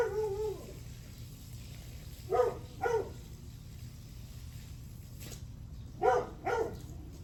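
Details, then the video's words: Dog barking on July 9 at 8:38 am: two pairs of sharp barks, the pairs about four seconds apart, over a steady low hum, with a brief whining note at the start. "Barking dog"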